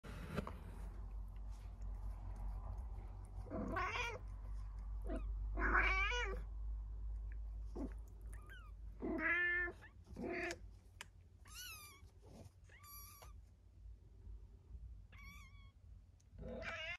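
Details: Bengal kittens waking up beside their mother, giving a string of high, thin meows that bend up and down, coming irregularly about once a second with short gaps, over a low indoor rumble.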